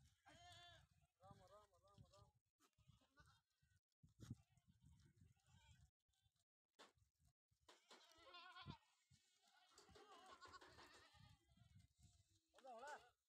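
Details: Sojat bucks (goats) at a goat farm in Indave, Sakri taluka, Dhule district, being raised for next Eid; wavering, strongly harmonic bleats open the recording and return near the end, mixed with men talking nearby.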